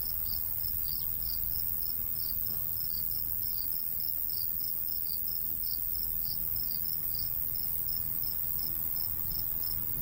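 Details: A cricket chirps steadily in high, rapid pulses over a soft low rumble of light breeze in a golden wheat field in the summer countryside.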